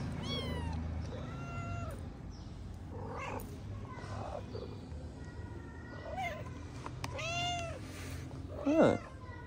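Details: Stray mother cat eating while her kittens play-fight on a wooden cat house in Morocco; a string of clear, arching meows, some short and some drawn out, with a man speaking softly in Arabic between them.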